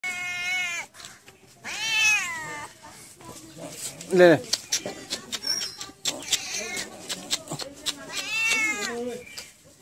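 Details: Hungry domestic cats while eating, giving loud drawn-out meows with clear harmonics, falling then rising, one at the start, another near two seconds and a last one near nine seconds, with clatter and faint human speech between.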